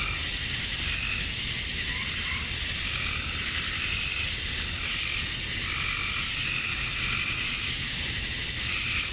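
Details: Male cicadas chirping to attract females at summer dusk in Georgia, USA: a dense, continuous high buzzing drone with no break, overlaid by softer pulsing calls in a lower register that come and go.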